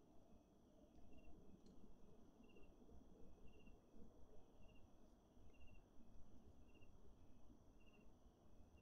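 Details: A Wahlberg's epauletted fruit bat in a Pretoria city garden gives short, high, metallic pings about every two-thirds of a second, over a heavy low rumble of background noise.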